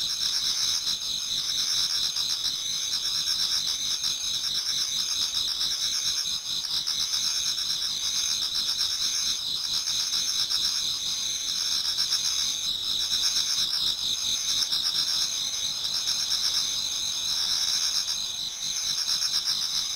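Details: Japanese garden before dawn in autumn, alive with many singing insects. A constant high shimmering trill dominates, overlaid with softer irregular chirping, with no other sounds.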